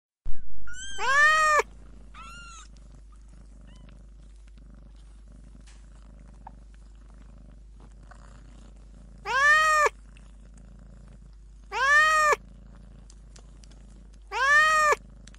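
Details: Fluffy, playful kitten meowing: a pair of short high mews at the start, then three clear, evenly spaced, arching meows near the end, with a soft low purring rumble running underneath throughout.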